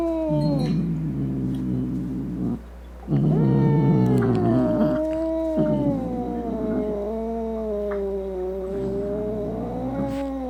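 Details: Domestic cat producing an angry, growling caterwaul meant to scare away rats, opossums and other cats; drawn-out moaning yowls with rough, grumbling undertones, one brief break near three seconds, over a constant low hum.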